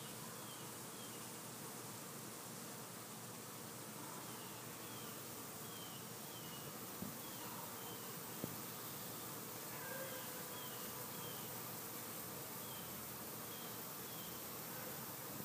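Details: Summer honey bees buzzing as a continuous, even drone, with faint short chirps from small birds scattered above it and a couple of soft knocks partway through.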